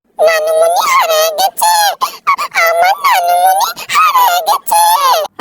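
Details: Pet cat named Cherry crying for her Nanumoni, who has gone out; a run of about eight loud, drawn-out wailing meows, each rising then falling in pitch, separated by short pauses.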